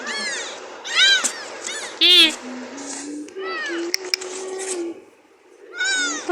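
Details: Domestic cat giving several high, arching meows with strong bright overtones, spaced irregularly about a second apart, while a person talks softly in a small indoor room between the calls.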